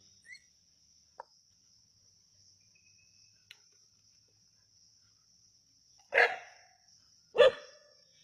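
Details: Native dogs hunting a snake at Keezhadi give two loud, harsh barks about a second apart near the end, after a quiet stretch with a few faint clicks; a steady high insect whine runs throughout.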